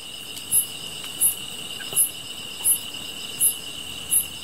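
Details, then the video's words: Insect sounds with a continuous high-pitched trill underneath and short bright chirps pulsing roughly every 0.7 seconds; faint soft crackling in the background. "풀벌레 소리"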